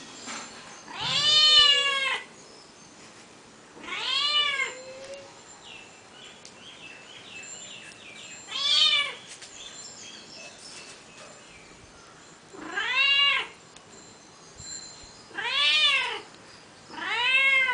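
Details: Backyard female cat that often lies behind the house, never tiring of meowing: six short arched meows spaced a few seconds apart, with faint softer sounds between them.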